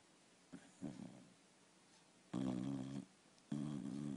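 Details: Sleeping dog snoring indoors: a couple of soft short breaths, then two louder rasping, buzzy snores in a quiet room.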